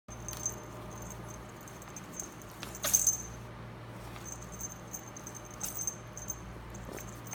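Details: Pet ferret, a female, sneezing while playing and digging, snorkeling in dirt; one sharp broadband sneeze burst near the middle, with faint scratchy rustling of dirt around it.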